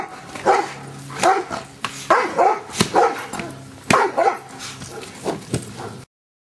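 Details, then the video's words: Giant Schnauzer Luther barking through Schutzhund stick hit training; a steady series of loud barks roughly every half second to second, with crisp stick cracks between them and a handler praising him. "Luther Giant Schnauzer Schutzhund Stick Hit Work"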